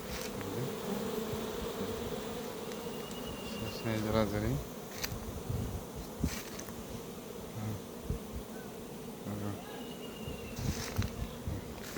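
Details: Honey bees in a hive box with no food, said to be fighting: a dense, steady low buzzing hum throughout, with short bursts of human speech near the middle and the end and a few clicks.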